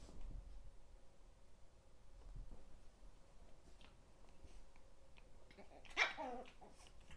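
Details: Pet 13-week-old Chihuahua puppies: after a long quiet stretch, one sharp, harmonic yelp-bark rises and falls abruptly. Faint rustling and handling noises fill the background.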